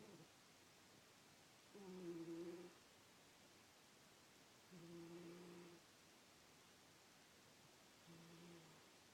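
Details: Miss, a sleeping pet cat, snores softly: three low, buzzy, droning breaths about three seconds apart, each with a faint higher overtone, in a quiet room.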